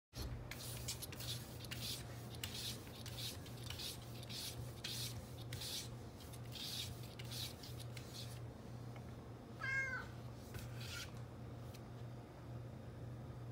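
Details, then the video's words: Male domestic cat meowing because he wants to go outside, indoors: a long run of rough rubbing or scratching noises, then one short meow that rises and falls near the end, over a steady low hum. "Cute Cat Meowing Because He Wants To Go Outside"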